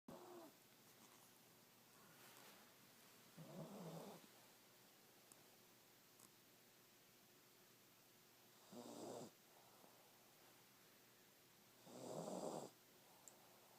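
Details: A pet cat asleep indoors, snoring softly. A breathy, rasping snore comes every four to five seconds, with faint room hiss in between.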